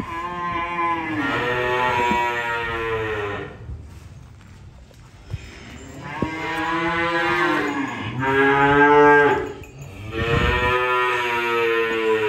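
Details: Cattle during unloading give three long, loud moos, each a few seconds with rich harmonics and a slight pitch bend, separated by short quiet gaps with faint knocks.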